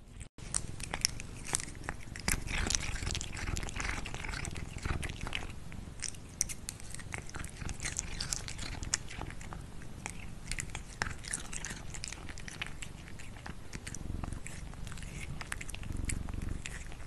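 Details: A cat crunching food loudly, with rapid, dense bites and crackling chews, a sharp knock at the start, and a low rumble throughout.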